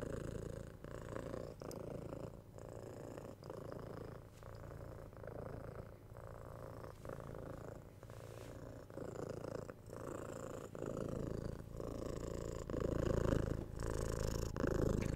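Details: Continuous low rumbling purr of a domestic cat, the steady vibration interrupted by brief breath gaps roughly every second, growing slightly louder toward the end, with no other sounds.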